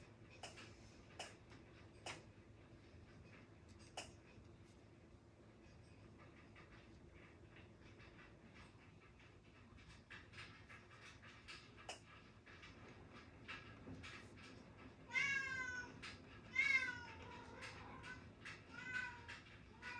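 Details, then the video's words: Domestic cat crying indoors: two drawn-out, harmonic meows close together near the end, after a long stretch of pen scratching and light tapping on a desk over a steady low room hum. "고양이가 울어 조용하지 않아요"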